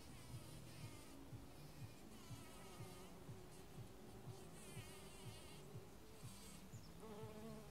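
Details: A bumblebee among anemone flowers gives a deep, steady buzz droning low, with a faint rhythmic beat pulsing underneath.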